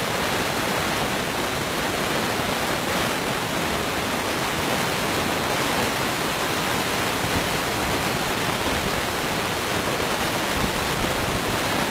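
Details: Steady, even rushing noise like falling water fills the recording, with no animal sounds.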